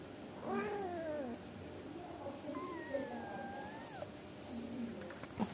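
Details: Angora mother cat scolding her kittens so they sleep and stop misbehaving, mother and kittens chatting: a soft falling meow, then a longer level meow that drops sharply at its end, over quiet room noise.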